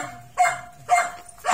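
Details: A dog barks as a Miniature Pinscher meets an American Bully: three sharp, mid-pitched barks about half a second apart, with a steady faint tone running underneath.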